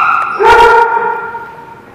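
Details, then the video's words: A dog at The Barking Lot, recorded on 16 June 2017, gives a single loud bark that trails off into a high, drawn-out, slightly falling whine lasting over a second. "The Barking Lot"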